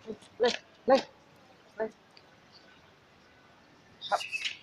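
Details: Pet Alaskan Malamute giving a few short, sharp yelping barks in quick succession near the start. Quiet pauses follow, then a brief high, scratchy sound at the end.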